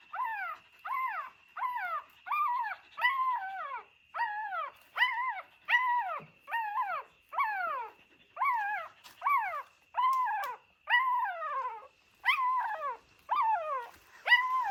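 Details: Dog sounds from a mother dog and her puppies in an old house: a long run of high, whiny yelps, each sliding downward, repeated quickly about twenty times with brief pauses, over a faint constant tone.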